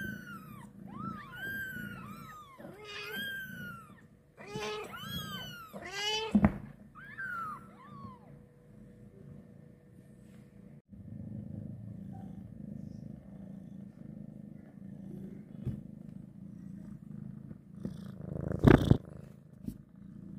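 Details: Mother cat carrying her kitten after birth for the first time: a steady low rumbling purr runs throughout, while high, rising-falling kitten-like mews sound repeatedly during the first eight seconds, followed by a sharp bump near the end.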